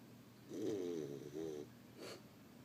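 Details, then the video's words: Sleeping female dog snoring indoors: a soft, rough, low breathy rattle drawn out, then a shorter second snore and a faint sniff, quiet overall. "My dog Mia snoring."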